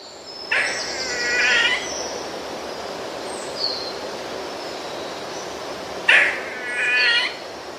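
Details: Eastern gray squirrel in the eastern US gives two drawn-out, nasal whining cries about five seconds apart, each opening with a harsh burst, over steady background hiss; the whining cry resembles a gray catbird.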